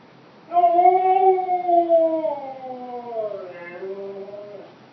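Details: Siberian Husky vocalizing at its stuffed hippo toy, a long melodic woo lasting about four seconds, gently rising, then gliding downward with a brief upturn and wavering tail before trailing off.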